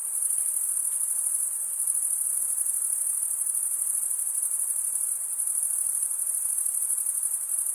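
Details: Steady, piercing insect trill from crickets stridulating with their wings, a dense unbroken high whine with slight rhythmic flutter and a gentle background hiss, nothing else standing out.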